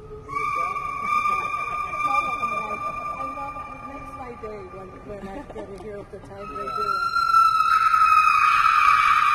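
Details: A white-cheeked gibbon singing at Brookfield Zoo holds a long, clear whistled note that rises near the end, over people talking.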